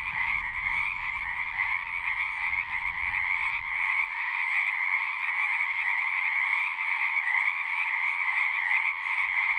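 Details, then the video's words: Singing frogs massed in a steady, shimmering chorus of overlapping trills on two pitch bands; a low rumble underlies the first four seconds, then only the frogs continue. "One hour of singing frogs."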